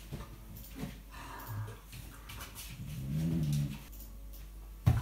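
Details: Tia, a rescue dog who rarely barks but talks a lot, playing indoors with fellow rescue dog Sandy in 2018; a short low moaning grumble rises midway through amid scuffling and room noise.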